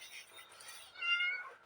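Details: A pet cat meowing in the morning because it wants milk: a short, thin, high mew that holds a steady tone, preceded by soft indoor rustling and faint talk.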